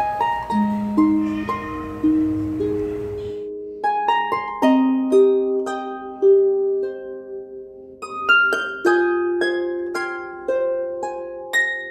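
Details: A plucked harp melody with single notes ringing out one after another, steady and unhurried, in a quiet room with no animal voices.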